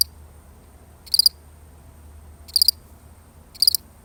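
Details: One lonely cricket, real recording: three crisp high chirps, each a tight cluster of rapid pulses, about 1.2 seconds apart, with a low steady hum in the background.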